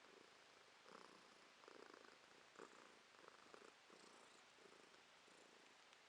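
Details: Female domestic cat purring quietly indoors in December 2022; soft, rhythmic rumbling swells in steady pulses, rising and falling with each breath, roughly once per second, with faint room hiss behind.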